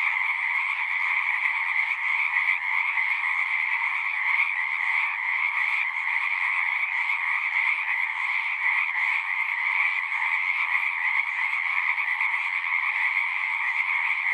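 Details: Pond frogs in a horse pasture sing in a massed, nonstop chorus, taken with a Zoom recorder; overlapping fast trills merge into a constant high whirring hum that holds steady with slight flickers of individual voices.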